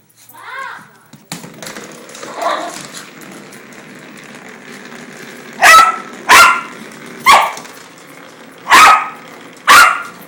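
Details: Tiffa, a pet dog, goes wild over a toy. A brief whine and some faint shuffling noises come first. Then five loud, sharp barks arrive in an uneven series over the last five seconds.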